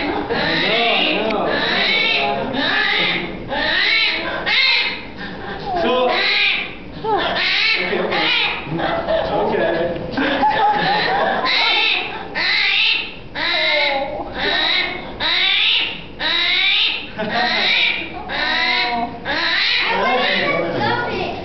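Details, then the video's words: Captive screaming armadillo, Chaetophractus vellerosus, inside the Desert Dome's South America exhibit at Omaha's Henry Doorly Zoo: a long run of shrill, harsh squealing bursts repeated about once a second, in a small indoor space with people nearby. "Screaming armadillo"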